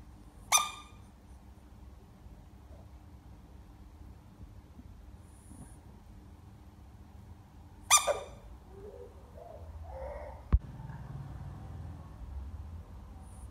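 An American bullfrog gives two brief, harsh, high screams several seconds apart.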